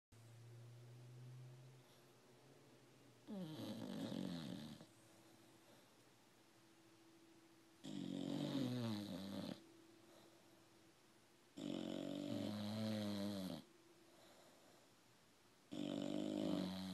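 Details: Two English Bulldogs, both female, snore in loud, rasping bursts separated by quieter breathing.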